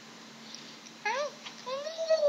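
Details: Maine Coon cat giving two meows indoors, the first short and rising-falling, the second longer, rising and then held steady, over a low steady hum.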